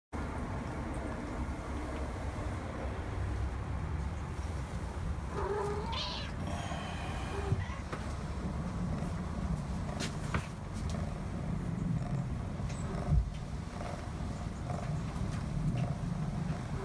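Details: A young female silver spotted tabby British Shorthair kitten gives a brief, thin, rising meow over a steady low rumble.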